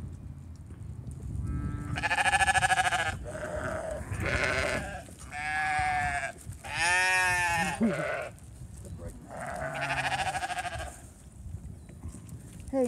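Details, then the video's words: Hay feeding for a flock of sheep including a hungry new ram lamb; repeated loud, shaky bleats from several sheep, each about a second long, separated by short gaps, with faint talking in the background. "our new baby sheep ram lamb is hungry"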